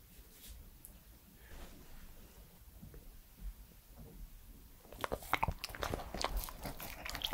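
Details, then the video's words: Male Pembroke Welsh Corgi Edmundo, three years old, eating indoors in an ASMR recording: near-quiet room with faint soft clicks for about five seconds, then a sudden flurry of crisp crunching and mouth smacks. "MY CORGI DOG'S FIRST ASMR ✨scratching, mouth sounds and eating sounds"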